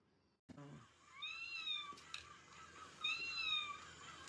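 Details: Pet cat, filmed climbing around skewers to lie in plants, gives two drawn-out, wavering meows with a rising-then-falling pitch, the second slightly longer, after a brief knock at the start.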